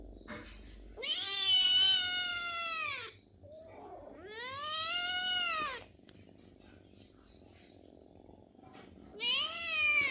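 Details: Hungry house cats and kittens meowing to be fed. There are three long, drawn-out, harmonic meows, each rising and then falling. A person talks softly in Marathi between them.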